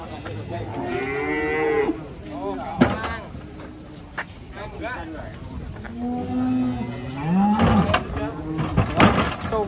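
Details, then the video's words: Raging cattle afraid of water, finally having to be carried: two long, harmonic moos, the first around one to two seconds and a second, deeper drawn-out low around six to eight seconds, with men talking and knocking noises between. "SAPI NGAMUK TAKUT AIR AKHIRNYA HARUS DI GENDONG"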